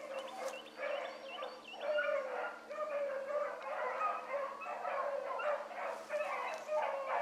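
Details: Young hound pups, among them Ringo, Mingo and Choco, running a rabbit on a morning chase; several dogs bay together in overlapping, ringing bursts, roughly one a second, with no quiet gaps.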